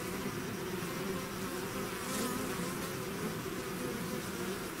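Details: Swarming bees out of the hive produce a continuous, full-bodied drone, overlapping hum tones wavering softly, one bee buzzing close and louder just past the two-second mark.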